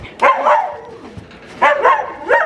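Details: Laika hunting dog out on a walk in dry birch woodland with other laikas, excited, giving three short, yelping barks about a second apart, each a quick harmonic burst, with quiet rustling between them.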